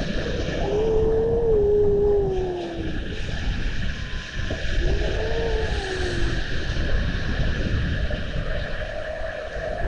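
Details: Seals off Estonia, watched by a seal camera on 19 February 2020 with young seals in view; drawn-out tonal moaning glides, a long wavering one then a shorter falling one, over a steady watery rumble.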